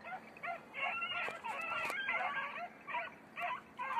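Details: Beagles, red-blue tick and lemon-white, on hare practice in Crete; several overlapping high yelping bays in bursts, a dense pack chorus with short gaps.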